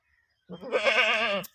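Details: Goat in the UK producing a single loud, quavering bleat of about one second, steady in pitch with a rapid vibrato-like wobble.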